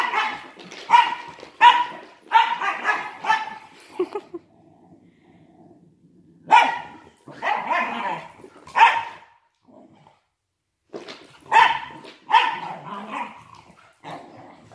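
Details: Wire fox terrier brothers play-wrestling, one with degenerative myelopathy; sharp yappy barks in quick clusters, a quiet low growl between bursts, then more barks toward the end.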